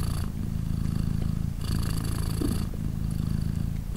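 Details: British Shorthair mother cat named Polina purring beside her three-day-old kittens while they nurse; steady low rumbling purr alternating between inhale and exhale phases, with faint soft rustling.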